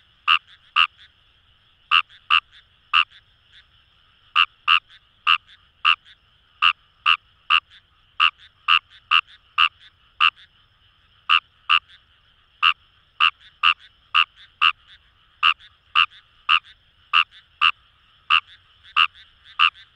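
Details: In rice paddies by the Kamo River in Itoshima, Fukuoka, a Fejervarya kawamurai frog gives brief rasping croaks in irregular bursts and pairs, with short pauses between runs and a soft background frog chorus.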